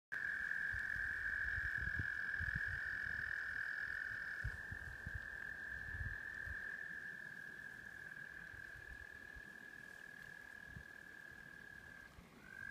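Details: Tree frogs singing in spring rain around an off-grid prefab house: a steady, unbroken high trill holds for over twelve seconds, with a fainter upper band fading partway through and low rumbling background noise throughout.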